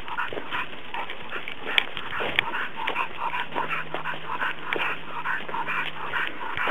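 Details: Working Cocker Spaniel climbing a hill, panting in rapid breathy bursts several times a second, with a faint low steady hum underneath and occasional sharp ticks.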